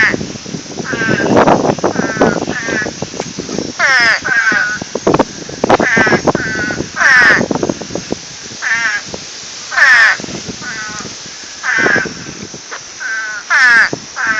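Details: Frogs calling frantically ahead of Hurricane Irene: loud, harsh, harmonic croaks overlapping from several callers, some bursts falling then rising in pitch, arriving in clusters every second or two over a dense background chorus.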